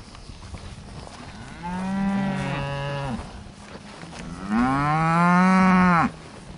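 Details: Hereford cattle out in the breeding pasture in summer 2015, giving two long, deep moos, the second louder and rising then falling, each lasting about one and a half seconds.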